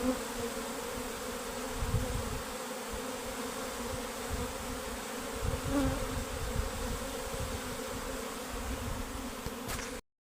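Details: Honey bee colony, workers and queen, abandoning its beehive; a dense swarm drone with gently swelling loudness and some low rumbling, which stops abruptly near the end.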